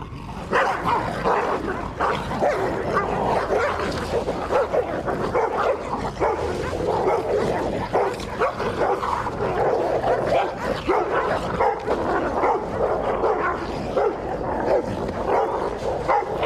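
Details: Stray pitbull and rottweiler fighting over a female, a dominance contest the rottweiler wins. Dense, continuous snarling and growling with rough overlapping barks and yelps, unbroken for the whole stretch.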